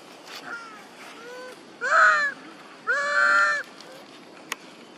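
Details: Monkey mothers Duchess and Queen crying out for their missing baby Quinton: two loud, drawn-out, harmonic wailing calls, each under a second, rising then leveling, preceded by fainter short calls.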